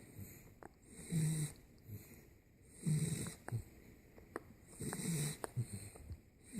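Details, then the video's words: Ten-week-old Boxer puppy named Spartacus asleep in bed with his owners, snoring and appearing to suckle in his sleep; low rumbling breaths swell roughly every two seconds, with soft clicks and a quiet voice nearby. "Boxer Puppy Suckling and Snoring while sleeping!"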